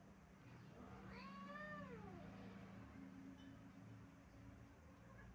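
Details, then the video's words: Stray cat on the stairs gives one drawn-out arching howl lasting about a second, rising then falling in pitch, over a constant low engine-like hum. "stray cat howling on the stairs"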